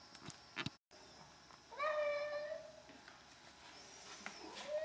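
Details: A 12-year-old male Hemingway cat, standing on his hind legs at a gate and begging for wet food, utters one long, clear meow, then a softer, rising meow at the end.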